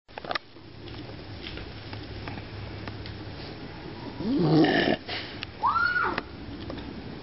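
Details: A dog making a weird noise: a rasping, snorting burst, then a short high whine that rises and falls, over steady background hiss.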